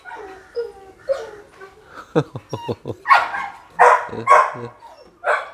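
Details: Red-nose pit bulls, a mother and her puppies, giving a rapid run of short clipped yaps, then louder barks and whimpering yelps in an irregular burst, with a person talking in the background.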